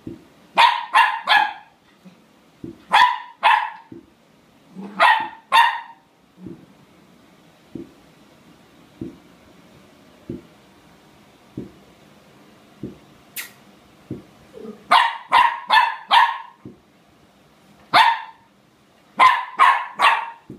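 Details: Puppy playing and barking at a hot chip: bursts of two to four sharp, high-pitched yaps separated by short pauses, with soft low thumps and quiet gaps between the bursts.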